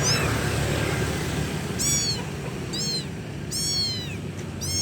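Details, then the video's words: Kitten calling loudly for its mother: four high, arched meows with bright stacked harmonics, the first after a short pause and the rest in quick succession, over a steady low rumble of background noise. "ANAK KUCING MEMANGGIL INDUKNYA [ suara Keras ]"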